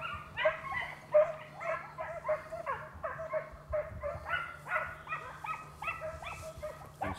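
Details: Several Italian Segugio hounds in full cry on a hare's trail in a vineyard, Italy, early 1990s hunt; rapid overlapping barks and howling bays, some notes bending downward, with a faint low drone behind.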